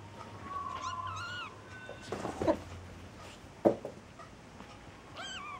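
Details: A cat hugging a kitten tightly; a brief high meow with a rising-falling tone near the start, soft thumps and rustling in between, and another short wavering meow at the end.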